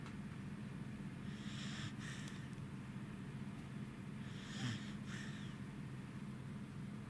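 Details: Goro, a tired Welsh Corgi, asleep beside his companion dog Roku, recorded 3 August 2018: two soft, airy snoring breaths, a raspy hiss each time, over a steady low indoor hum.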